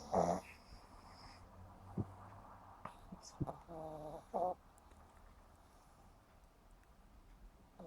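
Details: Sleeping pug Yumaks, only 7.5 months old, snoring in a funny way: a brief voiced snort at the start, scattered soft breaths, then a buzzing, harmonic-rich snore around the middle over a quiet room hiss.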